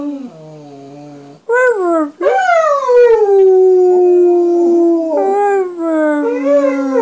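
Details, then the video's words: Hound dog chiming in with harmonica playing: a low steady tone, then a sharp rising howl breaking into a long sustained descending wail, ending with wavering rising and falling howls. "Bender the Hillbilly Hounds howling harmony"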